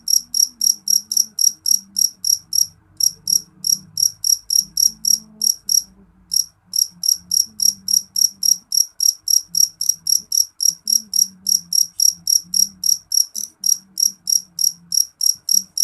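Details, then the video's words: Jeliteng cricket chirping piercingly, short high pulses repeated about four times a second in long runs broken by a couple of brief pauses, over a faint low background hum. "Suara jangkrik jeliteng nyaring"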